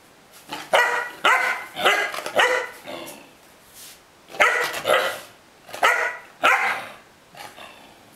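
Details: Pet dog refusing to leave the bed, barking in a series of sharp, harmonic-rich barks in bursts of two or three, with a woman speaking Greek, telling the dog to get down.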